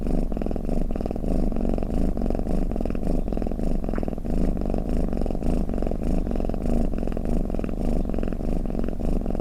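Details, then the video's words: Low, rough, rhythmic rumbling from a cat, snoring or purring, with soft pulsing beats about 100 per minute and an even loudness. "เสียงแมวคราง เสียงกรนของแมว | snoring cat"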